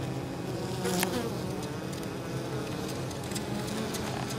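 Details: Honey bees returning to the hive with pollen and nectar on 23 October, in unusually mild weather, at an apiary beside fields; a dense, steady droning hum of many bees with wavering overlapping tones and a few brief clicks.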